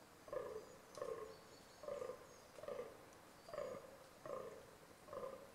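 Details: Rutting fallow deer giving a steady series of seven hoarse, burping groans, each short and low, spaced about three quarters of a second apart, with a soft bird note in the background.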